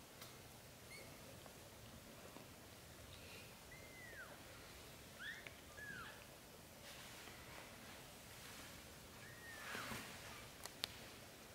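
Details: British Shorthair kittens with their mother while the brothers drink milk: several thin, high mews, some rising and others falling in arcs, scattered across the stretch, with soft rustling and faint shuffling noises.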